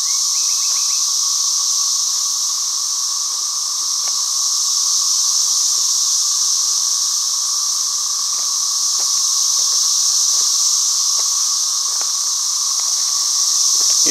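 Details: Loud cicadas keep up a continuous high, sizzling drone whose volume swells slightly and eases. Scattered faint clicks and a brief chirp at the start are audible underneath.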